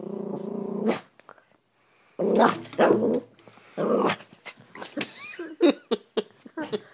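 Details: Agitated Maltese dog spots a squirrel through the window and lets out a sustained low growl, then louder snarling growls and sharp yips, with a person's voice faintly in the background.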